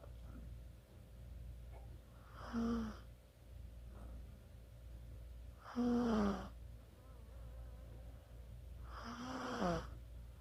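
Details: Sleeping Chihuahua snoring, recorded 24 October 2020: three drawn-out wheezy snores roughly every three seconds, each with a whistling tone that slides downward, over a steady low hum indoors.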